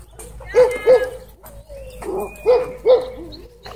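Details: Two Siberian Huskies roughhousing at a dog park give sharp, tonal yipping barks in quick pairs, separated by a thin drawn-out whine, all loud and close.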